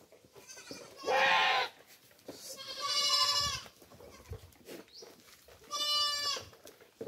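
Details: Domestic goats being fed coconut pulp (tubuan) on a farm give three loud, harmonically rich bleats, each about half a second to a second long and spaced a couple of seconds apart, with faint background rustling.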